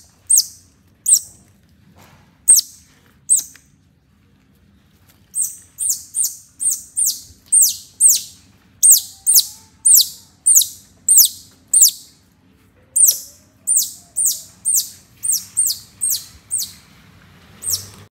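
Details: Young pet otter trailing behind a mother cat calls with piercing, downward-sliding squeaks, first a few spaced notes, then a rapid run of roughly two per second with brief pauses, over a quiet low hum.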